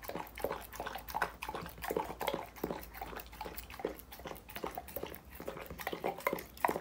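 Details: Dog eating raw foods such as meat, chicken and vegetables indoors: rapid wet chewing and crunching clicks in close bursts, several per second, with short pauses between mouthfuls.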